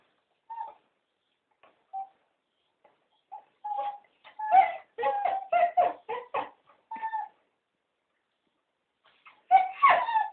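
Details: Three cocker spaniels beg to be taken for a walk indoors. Short tonal whines are followed by a rapid burst of yelping, moaning vocal sounds, then a louder cluster of whines near the end, with quiet gaps in between.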